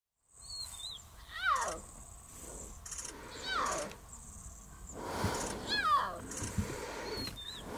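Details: Kenya: thin, wavering, falling mews from a lion cub calling for its mother, in a loose series every couple of seconds, with brief high whistled notes and faint rustling behind.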